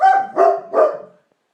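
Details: A dog howling alongside a baby: three quick, harmonic howl-barks in a little over one second, ending in silence.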